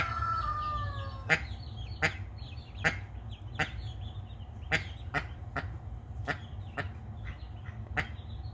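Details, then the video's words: A protective mallard hen guarding her brood of twelve newly hatched ducklings utters abrupt, clipped quacks at uneven intervals over soft, high-pitched peeps from the young birds. "Protective Duck."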